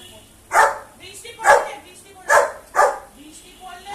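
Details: Labrador Retriever, a pet dog, giving four sharp, rough barks about one second apart, each short and loud, with people talking softly in the background.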